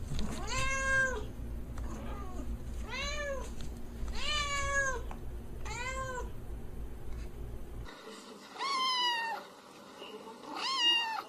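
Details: Domestic cats at play give a run of clear, drawn-out meows, four in the first eight seconds over a steady low hum, then two higher, sharper meows after the background changes.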